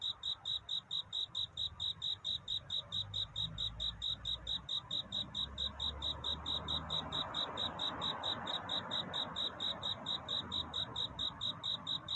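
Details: Steady, rapid chirping of a cricket courting at night before dawn; high, bell-like pulses repeat evenly throughout, while a muffled low rumble and soft mid-range hiss swell and fade behind them.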